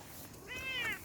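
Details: During an outdoor walk, a Bengal kitten produces one drawn-out meow that climbs slightly then tapers off, rich in harmonics, over soft ambient noise.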